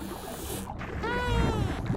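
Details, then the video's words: A dolphin gives a short tonal whistle that rises slightly and then falls, over a low underwater rumble. "et voici le bruit que font les dauphins"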